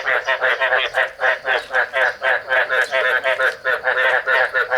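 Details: Male Chinese edible frog (Thai rice field frog) calling to attract a female during breeding while eggs are being laid; a steady run of short, harmonic croaks, about four per second, each even and evenly spaced.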